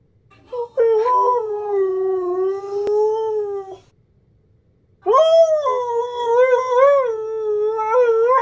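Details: Siberian Husky howling: one long, steady, slightly wavering tone lasting about three seconds, a short silence, then a second howl that rises sharply and bends in yodel-like warbles; no other sounds.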